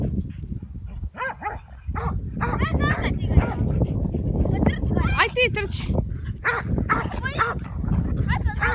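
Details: Croatian Sheepdog barking: short, arched, harmonic barks come in irregular bursts, overlapped by people talking nearby and a steady low rumble of wind or handling noise.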